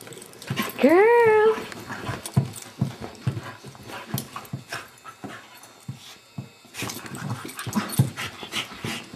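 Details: Beagle, a foster dog indoors, gives one rising, harmonic whine near the start, lasting about a second, followed by handling noises, shuffling and soft thumps in a small room.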